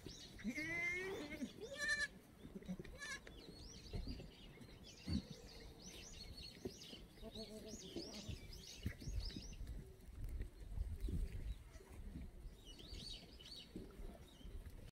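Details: Free-range black goats in the exercise yard of an antibiotic-free farm below Muchuksan, Yeochari, Sangdong-myeon, Gimhae, South Korea, on a clear Tuesday morning in May 2020: quavering bleats early on, with many chirping birds and some faint talk.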